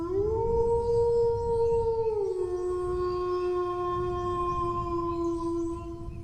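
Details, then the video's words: One sustained dog howl that rises quickly, holds a high steady pitch for about two seconds, then steps down to a lower note and stays there to the end, against a low rumbling noise. "howling dog sounds"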